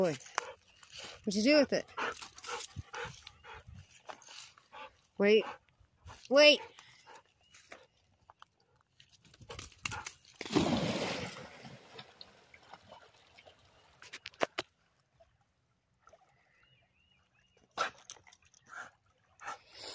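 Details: Toby, a Labrador Retriever, trying to swim, gives a few short, pitched yelping barks spaced several seconds apart, with a burst of splashing water in the middle and people talking nearby.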